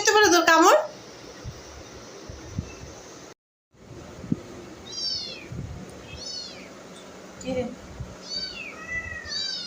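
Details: Domestic cat indoors: a loud harmonic cry opens, then a pause and a quiet stretch of faint, high, arched mews that come in small clusters. Low room noise sits underneath.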